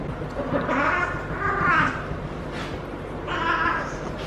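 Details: Harley, a feral female cat in her first heat cycle, caterwauls while rolling and being petted at the base of her tail. Two long, wavering, harmonic yowls run back to back, then a shorter one follows after a pause, over a steady low background rumble.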